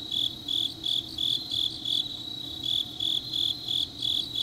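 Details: Grass insects in Changnyeong, South Korea, on a deep autumn night: sharp, high chirping bursts in a slightly uneven rhythm about three per second, other insects faintly trilling behind, low steady hum in the background.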